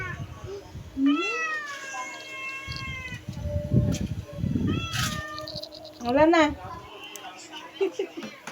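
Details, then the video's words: Several meows, some drawn-out and some short and bending, from a pet cat in the Philippines, mixed with low thumps, rustling and brief human voices. "our cat is meowing"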